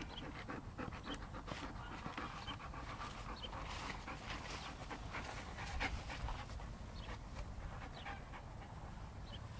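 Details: Seven-month-old West Siberian Laika, Jeko, breathing in fast repeated panting puffs, each a short noisy burst, with faint rustling and a brief distant voice in the background.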